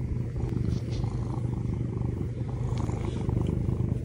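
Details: Pet cat purring as it wakes its owner in the morning, a deep, throbbing purr pulsing steadily and holding even loudness for the whole stretch.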